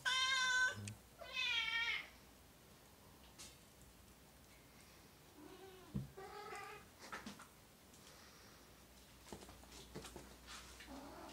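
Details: Oriental or Siamese cat indoors with two quick meows at the start, then softer, shorter calls later among faint room sounds.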